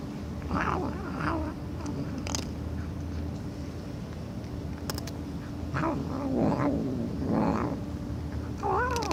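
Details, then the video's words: Cat making several rough, muffled mews and yowls at uneven intervals, ending in a clearer rising-and-falling meow, over a steady humming background with a few sharp taps. "Cats Meowing Loudly"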